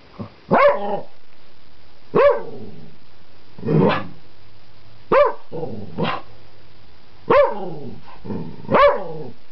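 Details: Wild dog on a flower bed, provoked by a person teasing it: seven sharp, harsh barks, each with a quick rise and fall, spaced about one to two seconds apart in an uneven rhythm, with little else audible between them.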